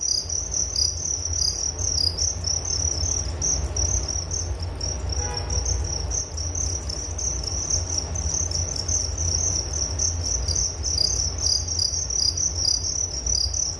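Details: Crickets chirping in a continuous, shrill, high-pitched trill made of rapid pulses that never pause, with a low rumbling hum beneath and a brief faint tonal sound midway.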